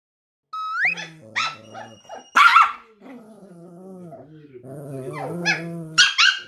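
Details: Silver poodle, a possessive male, guarding his owner and belongings against a younger white poodle; barks and a growl mixed with high whining yelps, some held tones.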